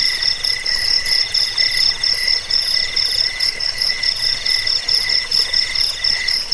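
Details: A chorus of crickets from a rat-repelling sleep track also used to train birds: a loud, high ringing trill broken into beats, over a lower buzzy pulsing, steady throughout.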